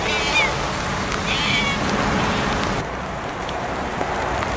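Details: Siamese cats walking off-leash in a forest during a sudden heavy shower of rain. Two short, high, rising meows about a second apart are heard under a steady hiss of pouring rain.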